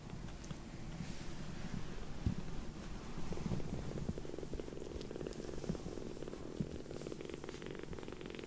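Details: Rescued foster kitten with white sock-like paws purring on a woman's lap, settling down affectionately after sulking; a steady, low, continuous rumbling purr throughout, with faint soft rustling and small movement noises.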